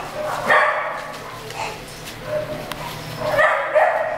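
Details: Beagle and Mountain Cur mix puppies giving short, high, harmonic yips and whines in scattered bursts, loudest near the start and again toward the end, over a steady low hum.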